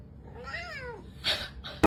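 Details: Domestic cat giving a single soft meow that rises briefly and then falls, lasting about half a second. Two short knocks follow.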